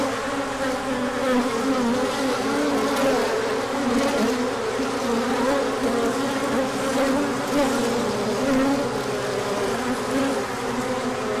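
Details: Large orientation flight of bees in spring sunshine after cooler days: constant droning buzz from many insects, with brief rising and falling tones as single bees fly past near the microphone.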